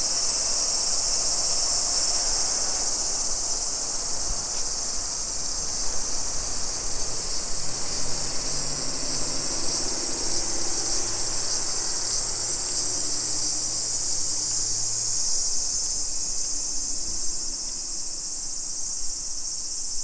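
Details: Japanese summer cicadas at 2 PM on 28 July 2021 in a Nisshin city neighbourhood near Nagoya: a loud, sustained high whine over the whole stretch, with a low rumbling vehicle hum in the middle.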